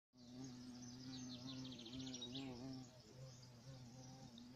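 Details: European carpenter bee (Xylocopa violacea), a large black bee, giving a steady low droning buzz with a rich harmonic stack that wavers slightly in pitch; bright chirping birds twitter in the background.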